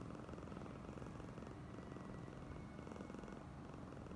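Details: A steady, low vibrating purr from Oyen, a female cat in a very affectionate mood, with quick regular pulses and a quiet faint whine in the background.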